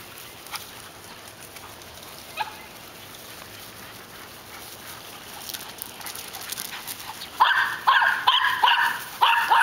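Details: Three dogs, a catahoula mix, a rottweiler mix and a weimaraner, chase each other around a yard. Quiet rustling opens, then a burst of loud, harmonic barks repeats rapidly through the last two seconds.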